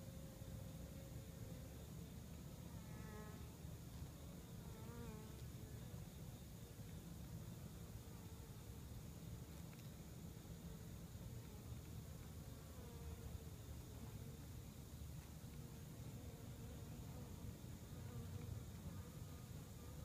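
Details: Western honey bees active at their hive fill the air with a dense, steady low hum of many wings at once.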